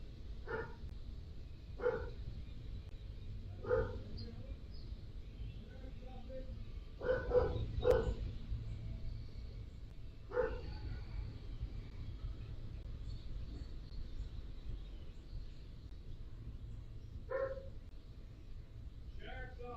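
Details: A domestic dog gives sharp, single barks at irregular intervals over low background noise, barking from inside a family home as a sheriff's officer walks in uninvited; the dog was later shot.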